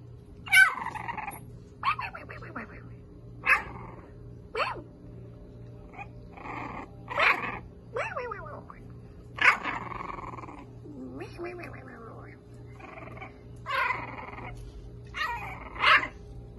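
French Bulldog puppies give short, high yips and squeaky whines in irregular bursts over a low hum.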